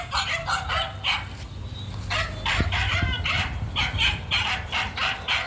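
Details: Male dog running, giving a series of bright, broadband barks in quick irregular bursts, several per second, with a pause near the middle; low rumbling background noise throughout.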